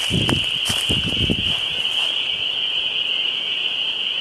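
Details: A dense chorus of what are believed to be spring peepers at a lake in the Westhampton Dwarf Pine Barrens, Long Island, on a Tuesday, countless high peeps merging into one steady, shrill ring.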